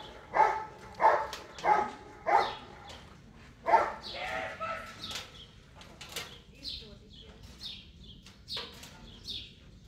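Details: German Shepherd Bandit vom Haus Kogor competing in section C of IGP-1 qualification at the 2022 Russian Championship; five forceful barks open, evenly spaced, then fade into quieter background noise with distant voices and faint bird chirps.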